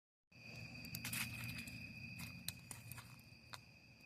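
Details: Crickets at a campsite beside a campfire: a steady, high, unbroken trill runs throughout over a low rumbling bed, with sharp crackles and pops from the burning fire.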